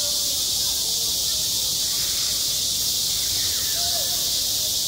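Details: A dense, unvarying high buzz from cicadas on a school playground in high summer, loud and continuous, with only brief faint tones from distant voices.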